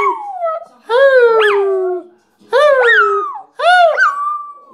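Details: Shih Tzu "singing": three long, mournful howls, each starting with an upward yelp then easing into a falling, sustained tone lasting about a second, separated by short silences.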